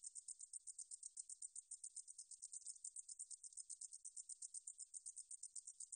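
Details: Meadow katydid, from a 2020 National Institute of Biological Resources recording, giving a shrill, unbroken song of quick, evenly spaced buzzy pulses sustained for the whole stretch, with nothing else audible.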